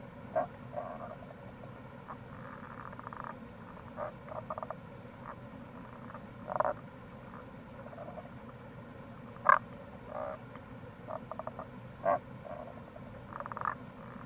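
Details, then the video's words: Tago's brown frog (Rana tagoi) calling near a gorge on the Kamo River, Itoshima, Fukuoka, Japan, in April. Short, low croaking pulses come in scattered bursts, some in quick stuttered runs, over a steady rushing stream. "Wild Frog Call | タゴガエル"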